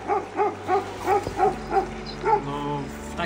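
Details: Dog barking loudly from a house across the river at a riverside spot in Albania that was meant for wild camping; a steady run of about eight evenly spaced, harmonic woofs, with a low engine-like hum underneath.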